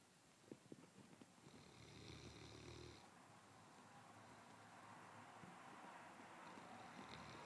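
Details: Sebastian, a one-year-old Landseer Newfoundland, snoring on his bed on a Sunday morning: one soft, low, rumbling snore lasts about a second and a half over a quiet indoor hiss, followed by gentle breathing.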